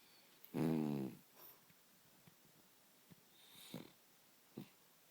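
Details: Pet dog snoring loudly indoors: one strong rasping snore lasting about half a second, followed by fainter breathy snuffles and short soft puffs in a quiet room.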